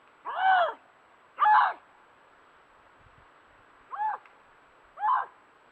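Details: Lynx, a North American wild cat, giving eerie drawn-out wailing calls: four separate arched yowls about one second apart, the first two louder and longer, the last two shorter, with a steady background hiss.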